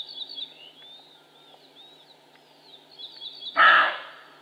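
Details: A roe buck lets out a single loud, hoarse bark near the end, a sudden rasping burst after several seconds of thin, high songbird whistles and chirps.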